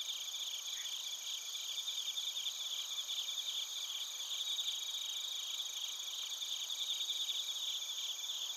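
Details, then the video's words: Chorus of bell crickets and field crickets in Narita, Chiba, Japan, recorded on a TASCAM Portacapture X8: layered high, steady insect tones with rapid pulsed chirping running through the whole stretch. "スズムシとコオロギの鳴き声 - Chirping of crickets"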